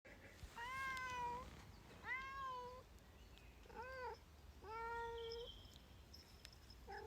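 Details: Female Bengal cat outdoors on a wet hike near Bergen, complaining about the wet ground: five drawn-out, harmonic meows, some rising then falling, with short pauses between, over a steady soft hiss.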